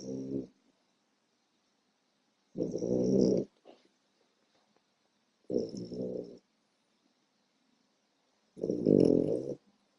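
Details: Four-month-old female French Bulldog puppy asleep, snoring loudly: four harsh, rattling snores, each under a second long, come roughly every three seconds, separated by near silence.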